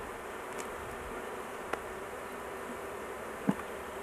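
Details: Honey bees at a large hive during an intervention, with the queen caged to avoid crushing her; a steady low droning buzz fills the clip, broken by a few sharp clicks near the middle and end.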